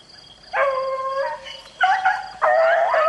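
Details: Rabbit-hunting beagle in the rain sounding three bays, the first a long steady bawl, the last two shorter and rising, with rain hiss throughout.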